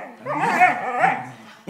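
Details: Black smooth collie whining and growling while playing tug with a person, a short strained vocal rising and falling over under two seconds, with a person speaking encouragement just before.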